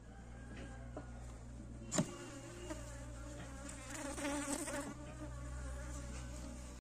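Honey bees give a steady, low droning hum of beating wings, with a sharp click midway.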